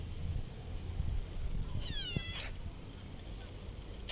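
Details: Street kitten in a park giving a single high, falling meow with clear stacked harmonics, about half a second long, over low background noise and a brief hissy burst afterwards.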